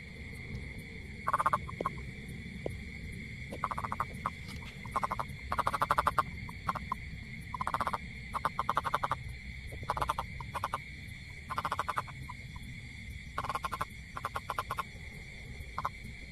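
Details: A toad, possibly a rain frog, calls with brief, low, rattling croaks grouped in uneven bursts every second or two, over a constant high-pitched hum.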